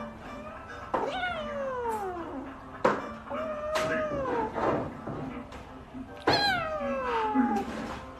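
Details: Pet cat giving a series of long, drawn-out meows that slide downward in pitch, three main calls spaced a couple of seconds apart, with soft background music and faint voices.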